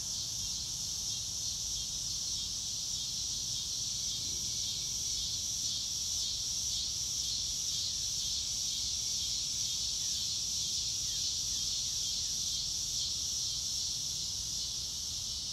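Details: A continuous shrill cricket chorus on a clear blue-sky day outdoors, unaccompanied by music. The bright high buzz pulses steadily throughout, while a few faint descending bird notes and a soft low rumble sit underneath.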